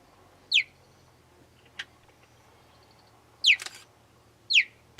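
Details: Cheetah chirping, a call used in excitement, as a greeting, or by a mother calling her cubs: three sharp high descending chirps spaced about a second apart, plus faint clicks, over a quiet low hum.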